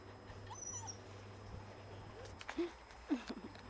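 Golden Retriever puppies give a few short, high whimpers and yips over a low steady hum.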